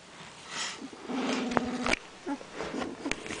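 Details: Puppy with eyes nearly open lets out a steady, low, drawn-out whine of under a second, then shorter soft whimpers, with light rustling around it.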